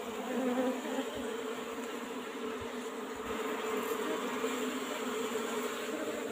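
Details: Many Asian honey bees from an old-style box hive during a honey harvest, giving a thick, unbroken buzzing drone that stays level from start to end with no other clear sounds.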